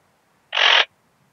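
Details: A single short, dense, rasping chirp of about a third of a second from a ringed bush-cricket (Rhacocleis annulata) at Biedermannsdorf, Austria, on 8 August 2022, possibly heard through a Pettersson D 100 ultrasound detector, against near silence.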